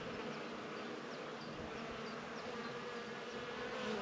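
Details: Many bees foraging at flowers give an unbroken droning buzz, thick and even, with faint short high chirps scattered above it.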